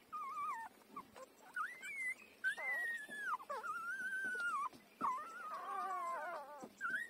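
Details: Puppy five days old, breastfeeding from its mother, letting out long, clear, tonal whines that bend up and down, some held for over a second, separated by short gaps.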